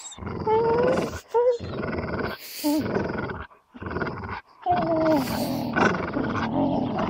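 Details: Amstaff Gerundio and beagle Baloo stare each other down while both grip a fabric toy: loud, sustained growling laced with rising whiny tones, broken by short gaps, continuing throughout.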